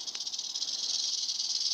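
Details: Agitated western diamondback rattlesnakes (Crotalus atrox) in steady, unbroken rattling, a high dry hiss-like buzz with fine rapid pulsing, nothing else heard.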